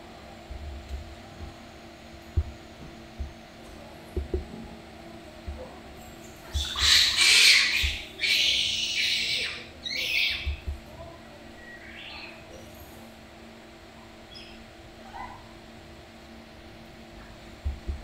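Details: Baby Japanese macaque named Ketchup playing energetically while its mother watches at Takao-san Monkey Park, Japan; a cluster of harsh, noisy squeals and screeches midway, with soft thumps and quiet background before and after.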